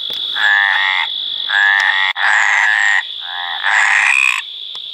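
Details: Mediterranean tree frog calling in breeding condition: four loud, harmonic, rasping croaks, each about half a second long and in pairs of syllables, spaced roughly a second apart, over a steady high-pitched background whine.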